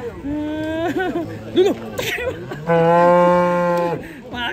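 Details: A raging cow, afraid of water, that eventually had to be carried, gives a long, loud harmonic moo after several shorter, wavering lowing sounds, with human voices in the background.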